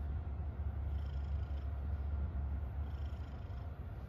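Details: A happy domestic cat purring steadily: a continuous low rumble throughout, with soft faint hissy touches now and then above it.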